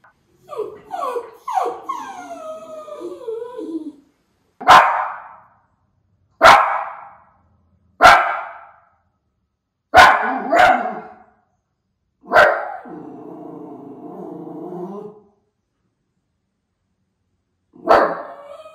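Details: Miniature Schnauzer Levi watching for crows in Aroostook County, Maine, late August 2021; opens with rising and falling whines, then a run of sharp single barks, a drawn-out growly note and one final bark.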